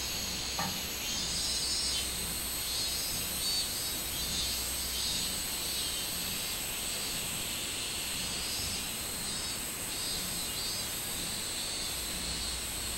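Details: Minmin cicada recorded 24 July 2016 in summer, a continuous shrill insect drone with slow swells and fades high up, one faint tap near the start.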